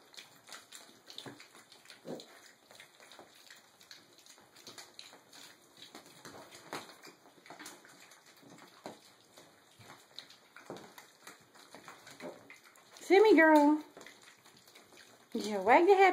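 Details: Six-and-a-half-week-old mini piglets, littermates born in July, eating breakfast of pig feed together as a family: quiet chewing and soft snuffles, then two loud wavering, high-pitched squeals near the end, each about a second long.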